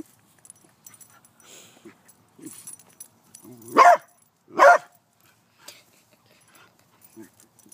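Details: A beagle confronting a praying mantis lets out two loud, abrupt barks close together after a quiet stretch of soft whimpers and faint shuffling.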